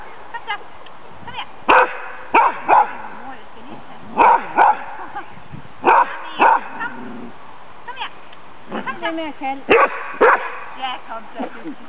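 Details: Lewanika Dumisani, a female dog sitting a Danish Kennel Club temperament test in 2007, barks at a ghost figure. Sharp bark pairs recur every second or two, with speech in between.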